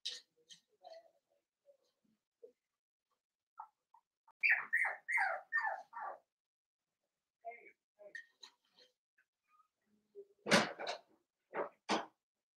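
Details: Seven-week-old Blenheim Cavalier King Charles Spaniel puppies, a litter of five born at New Year's, in an indoor home puppy pen at Red Barn Cavaliers; a burst of high, falling squeaky whimpers and yips mid-clip, scattered soft squeaks, then sharp clattering knocks near the end.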